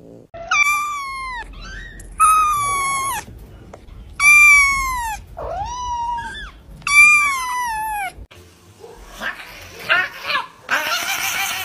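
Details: Cats calling: four loud, drawn-out, harmonic meows spaced about two seconds apart, each slightly falling in pitch, with a shorter cry between them, followed by softer rustling and scratchy noise.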